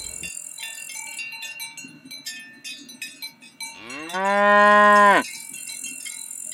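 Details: Cows grazing in a golden rice field on a peaceful countryside afternoon: a single loud, drawn-out moo of about a second and a half, steady then dropping at the end, after scattered bird chirps.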